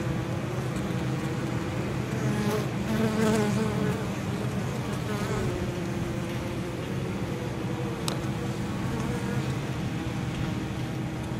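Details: Many honey bees flying into an apiary hive on an exceptionally mild 23 October, carrying pollen and likely nectar gathered from nearby fields. A steady low humming swarm drone with overlapping passing wingbeat buzzes and a brief sharp click near the end.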